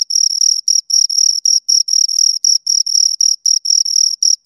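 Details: Pair of crickets producing rhythmic high chirps, roughly four clipped pulses each second in an unbroken train, pure bright tone with a thin upper harmonic, nothing else audible in the background.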